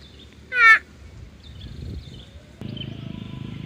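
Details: Water buffalo among a grazing herd giving a single short, quavering nasal call that dips at its end, followed by low rustling and a faint steady hum.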